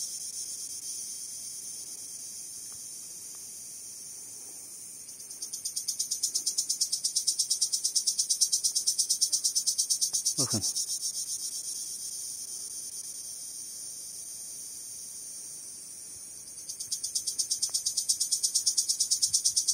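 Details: A male cricket produces its female-attracting song by rubbing its wings. A continuous high, shrill pulsing trill softens, swells louder for several seconds, fades, then returns strongly near the end, with one dull thump midway.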